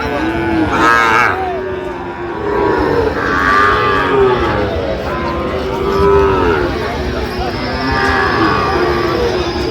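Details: Sahiwal bull calves at a cattle market in Comilla, Bangladesh, 13 November: several long, rich moos rising and falling, about four in ten seconds, over a background murmur of market crowd and voices.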